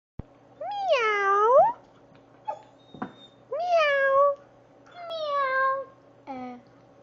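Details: Labradoodle named Farrah, taught indoors to make a cute meow instead of barking for treats: four drawn-out, wavering meow-like whines, each dipping then rising, with short gaps and a brief yip between, in a quiet room.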